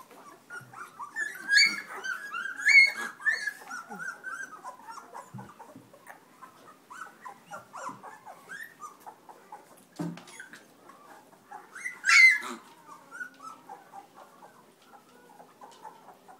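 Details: Black Labrador Retriever puppies, a December 2010 litter of six males and four females, nursing from their mother; soft overlapping squeaks, whimpers and grunts with a few louder high yelps near the start and again around twelve seconds, indoors.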